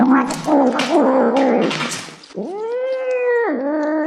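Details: Cat growling while eating: a rough, rumbling, unsteady harmonic drone for two seconds, then a smooth, long, level mew that dips and continues.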